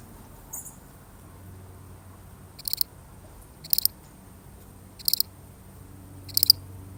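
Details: A single lonely cricket in a real recording, chirping four times in the second half after a faint early note; each chirp is a short high trill of quick pulses, about one per second, over a quiet low hum.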